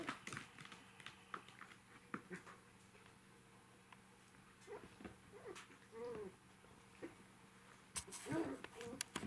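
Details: Indoors on a fun evening with three five-week-old puppies, gentle whimpers rise and fall, with a curved plaintive whine past the middle and a louder squeal near the end, over light pattering, knocks and rustling.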